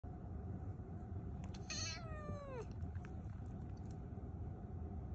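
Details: A Scottish Fold Longhair cat, at its first vaccination in a year, gives a single clear meow about a second long, falling steadily in pitch, over a steady low engine- or traffic-like rumble.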